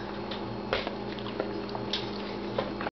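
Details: Indoors in a small room, soft wet squishing and clicking sounds repeat against a steady low electrical hum, with no clear voice heard.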